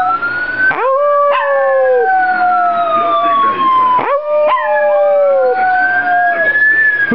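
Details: A female Pomeranian named Fergie howls along with a police siren, as she does whenever she hears one. Two sustained, slightly falling tonal howls sit in gaps of the rising and falling siren wail, which stays loud throughout.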